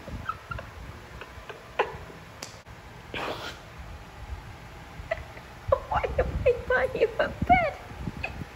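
A Shiba Inu makes odd, warbling, rising-and-falling whines and yelps in quick uneven bursts.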